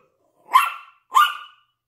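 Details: Yorkshire Terrier sharing a window with a Lhasa Apso, the pair barking out of it: two sharp, bright barks roughly 0.6 seconds apart, each with a quick loud onset and a fading tail, against a silent background.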